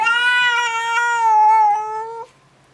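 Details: Scared indoor house cat, fur bristling and tail fluffed, reacting to a stray cat at the window before seven in the morning: one loud, sustained, steady meow lasting over two seconds, then quiet.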